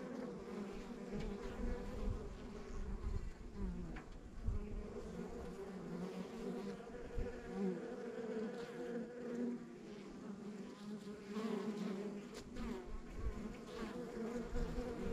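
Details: Steady hum of a rural backyard honey bee hive, many bees droning together in a thick low buzz, with brief louder fly-bys and some low rumbling underneath.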